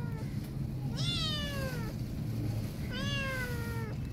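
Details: Frightened kitten whose mother cat left her, resisting being touched, gives two long falling meows about two seconds apart, each bright and harmonic-rich, against a constant low hum.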